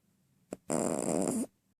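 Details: Chihuahua named BJ snoring loudly: a brief snort, then one long rasping, buzzy snore lasting close to a second in a quiet room.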